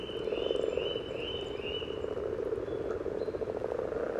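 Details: Spawning common frogs in display at Sunnersta, Uppsala, parabolic recording close above the water: continuous low purring croaks, opening with four short rising whistled notes repeated about every half second above the chorus.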